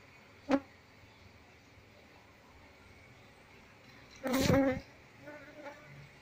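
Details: Apis cerana, Asian honey bees, around a wild nest whose comb has just been exposed by turning over a log. A quiet background is broken by a short loud buzz, then a longer half-second surge of buzzing as a bee passes close.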